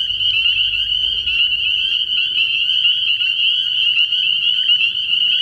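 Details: Early-year frog pond at night full of spring peepers, their high piercing peeps blending into one constant, pulsing shrill wall of sound.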